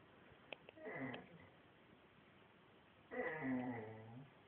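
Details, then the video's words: Female dog Shamsa 'talking' indoors: two drawn-out, harmonic, wavering moans about two seconds apart, the second one longer and louder with a bending, sing-song pitch, plus a few faint clicks beforehand. "talking dog"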